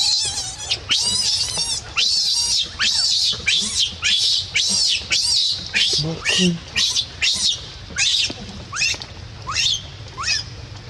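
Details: Baby monkey crying and screaming, a fast run of shrill, high, downward-sweeping screams, roughly a dozen in ten seconds, some broken and quavering, over a low steady background hum.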